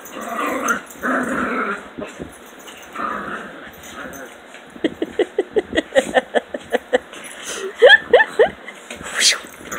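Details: Puppies at play growl roughly through the opening three seconds. A rapid run of short, sharp yapping pulses follows, and a person speaks near the end, all during a morning playtime.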